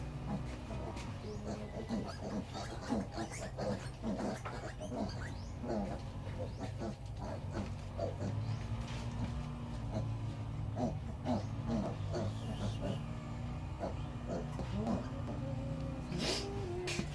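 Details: Piglets of a sow that will not let them suckle, needing milk supplement: a dense, steady chorus of short squeals and grunts over seventeen seconds, with low background hum.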